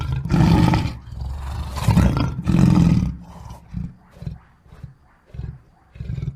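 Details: Lion giving a full roar: three long, deep, heaving roars followed by a trailing series of shorter grunts that fade gradually, spaced roughly half a second apart.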